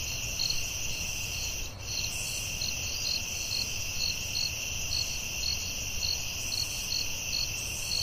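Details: High, steady cricket trilling at night in a forest, punctuated by evenly repeated chirps about twice a second, with one soft thump early on and low background rumble.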